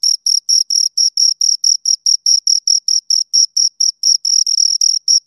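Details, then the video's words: Close recording of two crickets: crisp high-pitched chirps repeated steadily about twice a second, each a short buzzy burst, the pair's calls briefly overlapping near the end, with no background noise. "Two Crickets Chirp Sounds"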